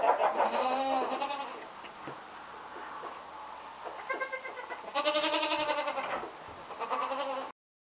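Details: Young goat kids taken to their stall for the first time in the barn, calling with repeated quavering bleats, several voices overlapping in loud bursts separated by short quieter gaps with shuffling noise.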